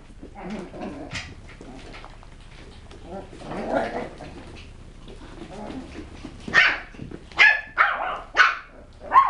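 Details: West Highland White Terrier puppies: after murmuring voices, a run of five shrill, clipped barks comes roughly every half second to second near the end.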